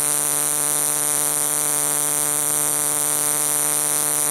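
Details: A cicada in Tucson sings one continuous, harsh, loud buzz rich in high hissing tones, holding even loudness throughout with no pauses or pitch changes.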